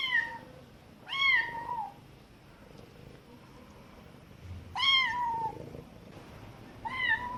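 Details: Young kitten's cute cries while its mother cat teaches it and occasionally answers: four clear meows, each sliding up then down, spaced irregularly two to four seconds apart, faint lower sounds between them.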